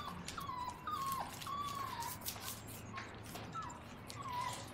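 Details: Five 7-week-old English cocker spaniel puppies give thin, high whines, some flat and some sliding downward.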